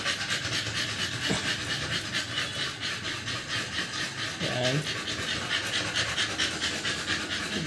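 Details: American Bully puppies, two months old and freshly given their second 5-in-1 vaccine, pant in breathy rasps about twice a second, with a brief human voice partway through.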